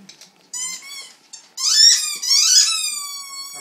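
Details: Dalmatian singing along with its toys indoors, high drawn-out howling notes rising and holding, with short squeaky toy sounds in the gaps between howls.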